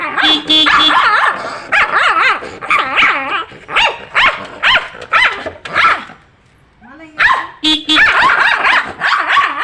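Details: Domestic dog barking angrily in reaction to a horn's sound, with rapid, wavering, yelping bursts in quick runs. A steady, tonal horn blast sounds near the start and again near the end, with a brief pause in between.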